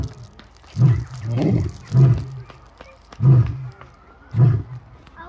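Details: Lions roaring: deep, low grunting roars in a steady series, about five heavy bursts spaced roughly a second apart, with faint background noise.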